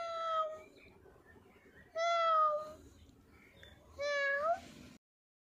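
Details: Domestic cat meowing: three clear, drawn-out meows about two seconds apart, each a strong harmonic cry, the last rising at the end, in a quiet indoor room.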